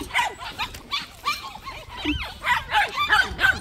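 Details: White puppies at a plum orchard give short, high yips in quick succession, several per second, with a brief human voice mixed in.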